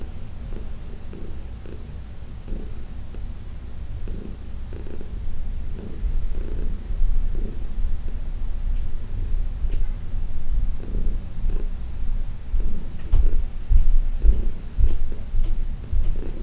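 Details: Heidi, a senior domestic cat adopted from the Humane Society of New York City, purring during a massage on June 17, 2021; steady low rumbling purr with rhythmic breathing pulses, growing louder toward the end, indoors.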